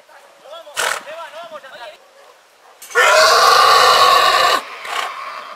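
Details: Horse in spring: soft low calls and a short burst, then a loud, quavering whinny of about a second and a half, with a brief sharp sound after.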